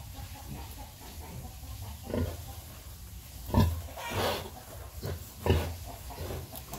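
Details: Sow suckling piglets utters a few deep grunts, the strongest two about two seconds apart, amid soft rustling and low-frequency noise.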